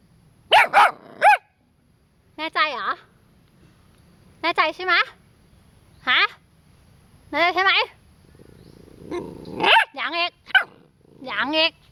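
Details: Pit Bull Latte playing rough with a garden sprinkler lets out repeated high, strained barks and yelps in quick bursts, mixed with a person's scolding voice in between.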